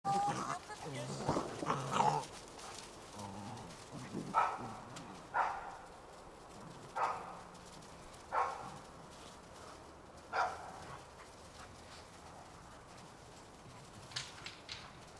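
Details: Eight-week-old Old English Sheepdog puppies playing in a garden with their mother and father on a freezing New Year's Day 2009; short, sharp barks recur every one to two seconds after human voices at the start.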